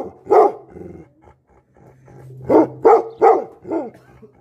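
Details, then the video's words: Angry Tibetan Mastiff dogs, known locally as Bhote Kukur, bark: one deep bark, a pause with a low steady hum, then a quick run of four loud barks close together. "Angry dogs barking effect sound ||Tibetan Mastiff || Bhote Kukur"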